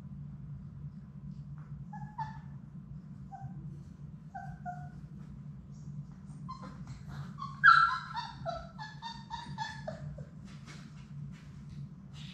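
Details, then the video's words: Labrador Retriever puppies, a litter of six from mother Sadie, playing together in an indoor puppy play room on a live puppy cam; high whimpers and short yips, with a louder squealing yelp near the middle, over a steady low hum. "Labrador puppies at play!"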